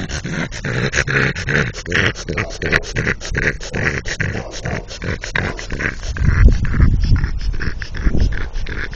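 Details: French Bulldog snorting and panting in rapid, irregular bursts, roughly two to three per second, rough low-pitched breathy grunts continuing throughout while he plays with a brick he is said to be in love with.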